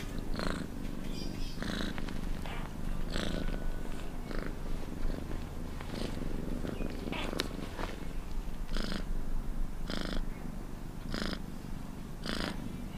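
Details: Domestic cat purring steadily, a continuous low rumble throughout, with soft rhythmic breathy pulses recurring roughly every second as the purr alternates with each breath; close and quiet, no other sounds.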